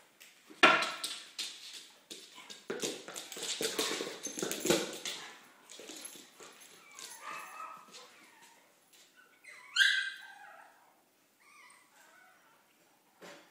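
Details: Ren, a pet dog playing by himself and entertaining himself indoors, gives short high whining yips mixed with sharp knocking and thumping play noises, loudest early on, with a brighter whine burst near the end.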